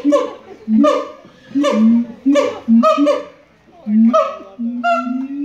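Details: A siamang sings at the Los Angeles Zoo; its songs last five to twenty minutes. It gives a run of loud, honking barks, roughly one per second, ending in longer rising notes.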